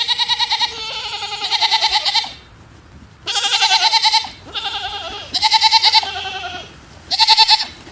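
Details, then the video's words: A female goat letting out loud, trembling bleats, five drawn-out nasal cries with a rapid pulsing quaver, each lasting about a second, separated by short quiet gaps. "Chirping Goat - Strange 🐐 sounds"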